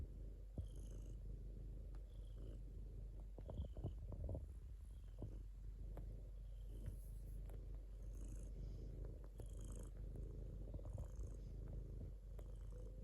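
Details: Steady deep purring of a domestic cat, a low buzzing rumble sustained throughout, with scattered clicks and faint high squeaky tones now and then.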